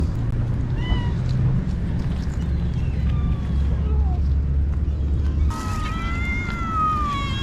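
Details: Cats being fed by a kind person; a steady low rumble and faint short calls give way in the last two seconds to a loud, drawn-out meow that slides gently downward with bright harmonics.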